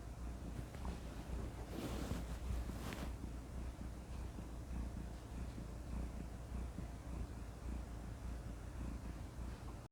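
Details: Cat purring contentedly, relaxed and soothing; a continuous deep, vibrating rumble with a rhythmic rise and fall, briefly overlaid by a soft breathy rustle near the two-second mark.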